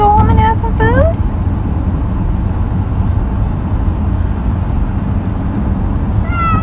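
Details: Domestic cat, male, taken for a car ride, gives a quick pair of plaintive meows, the second sliding upward, then a final rising meow after a pause, all over constant low car hum and quiet voices.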